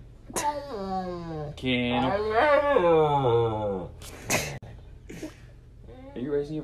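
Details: Dramatic Siberian Husky whining and wailing in gliding, descending tones, with a sharp yelp-like burst and short whimpers near the end, while a person asks if it is raising its voice.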